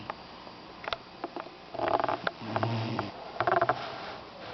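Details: Young Doberman puppy snoring during a nap indoors: rough, breathy snores come in short clustered bursts, with a deeper rumbling inhale near the middle, separated by quieter soft breathing and small sniffs.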